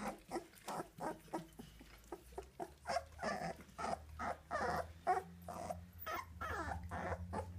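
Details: Two-week-old American Staffordshire Terrier puppies of a litter give a rapid run of short whimpers and squeaks, several per second, some grunting and growl-like notes mixed in, with a low steady hum underneath.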